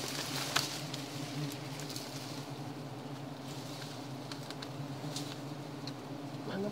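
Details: Giant honey bees (Apis dorsata) at a wild colony during honey hunting: a steady, low droning hum holds throughout, with people talking nearby.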